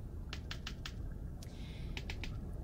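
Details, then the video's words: Sperm whales in the Mediterranean, recorded in summer 2018 by hydrophones on the Sphyrna marine drone, clicking to communicate: sharp broadband clicks in loose runs of three to five, spaced about a fifth of a second apart, over steady low water noise. "Ces bruits, ce sont les cliquetis qu'émettent les cachalots. C'est leur moyen de communication et c'est ce qui donc a été enregistré cet été."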